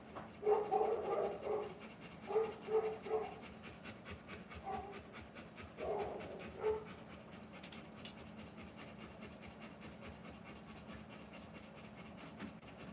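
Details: Rottweiler during the live birth of her puppies, breathing in quick rhythmic panting bursts over the first seven seconds, grouped in short clusters, then near silence with faint scattered clicks.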